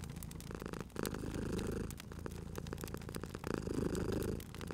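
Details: Cat purring while asleep beside a crackling fire, a thick low rumble with two strong swelling breaths, punctuated by bright clicks and pops from the burning wood.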